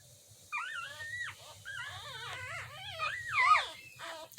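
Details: Two mini dachshund puppies in Lithia/Tampa, Florida, recorded April 2, 2021, whimpering: a run of high, wavering, squeaky whines that rise and fall in quick bends, getting louder toward the end, with a low hum beneath.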